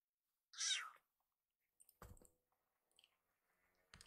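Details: Rescued kitten calls out for a second helping of food with one short, bright, loud meow that sounds like "iru", followed by soft clicks and knocking sounds in a small room.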